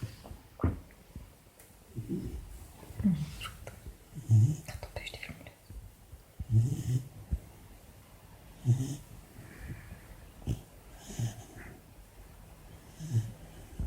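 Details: Sleeping four-month-old female Labrador puppy snoring softly, deep low rumbles repeating roughly every two seconds in a steady breathing rhythm, quiet room with faint background hiss.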